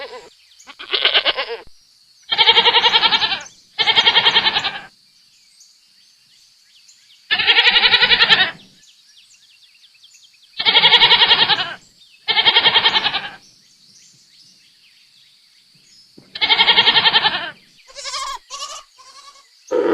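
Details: Loud, quavering goat bleats arrive singly or in pairs with long silent gaps between, each a harsh, nasal, wavering cry of about a second, ending with a few shorter squeaky sounds.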